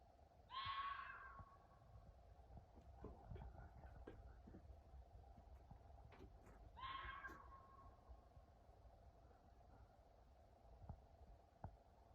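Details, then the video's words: Fox calling at night: two short, harsh, rasping screams with stacked harmonic bands, about six seconds apart, faint against a steady electrical hum and scattered clicks. "Weird noise at night!? Fox I think but freaky"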